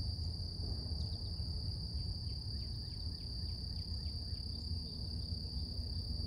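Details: Morning cicada chorus heard as a constant thin, high whine holding one pitch, laid over deep background rumble, with a run of soft descending bird chirps through the middle.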